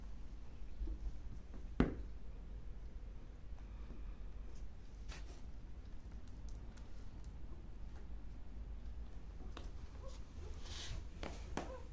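A quiet indoor room with low hum and scattered clicks and taps, and no animal voice.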